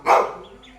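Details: Single short, loud bark from a pet Labrador Retriever on a morning at home, after a woman's coaxing Malayalam speech, fading into quiet room tone.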